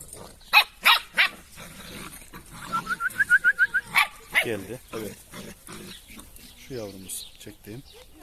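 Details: Drahthaar puppies, several young of one litter: a quick run of about eight high, squeaky yelps, each short and similar in pitch, with loud male voices talking in Turkish before and after and some shuffling noise.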